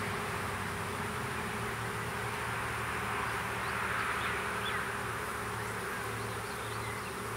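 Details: Honey bees of a small swarm being hived into a privet thicket in south Alabama, spring 2014, produce an even, massed drone; brief faint bird notes drift over the constant buzz.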